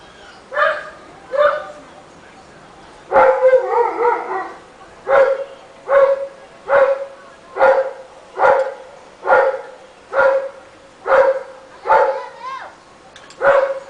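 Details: Rottweiler barking in a neighbourhood: loud, deep barks repeated roughly every second, some doubled or drawn out, about a dozen in steady sequence with quiet gaps between.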